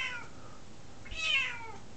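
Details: F2 Savannah cat, a female about nine months old, meowing indoors for attention; two drawn-out, harmonic-rich meows, the second louder and rising then falling, against quiet room tone.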